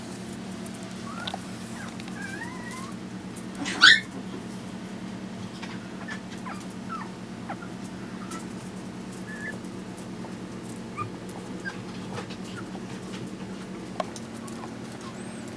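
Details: Chihuahua puppies Zeus, Amun-Ra and Simba, five weeks old, give a few faint high squeaky whimpers. A sharper brief burst comes near the fourth second over a steady low hum.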